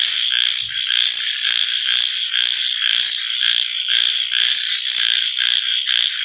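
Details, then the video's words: Loud nocturnal frog chorus: repeated raspy croaks about twice a second riding on a continuous high trill from many callers. "Copyright Free Frog Night Sounds"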